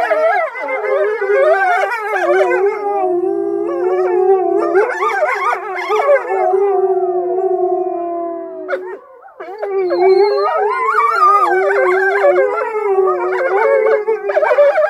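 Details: Several wolves howling in the wolf enclosure around the wolf lodge at Polar Park, Norway; overlapping long tonal howls rising and falling, some sliding down, forming a chorus that drops briefly near nine seconds and swells again.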